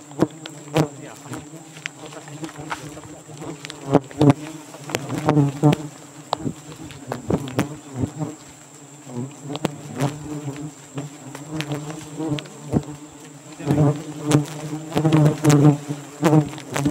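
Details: Giant honey bees (Apis dorsata) at a nest in the rainy season in Borneo, a low droning buzz with a steady hum and harmonics, swelling and fading in loud surges, broken by sharp clicks and knocks of handling.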